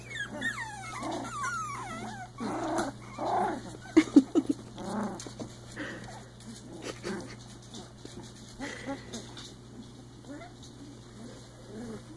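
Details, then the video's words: . Three-week-old Icelandic Sheepdog puppies at play make rising whiny squeaks, then a run of soft, low, rough growling grunts, with quiet rustling and a faint steady hum behind. "Growl! Hop! 3 week old Icelandic Sheepdog Puppies"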